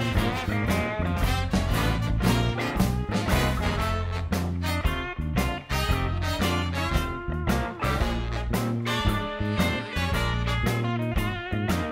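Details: Lively swing music with brass and a steady driving beat fills the whole stretch, and no animal voices are heard.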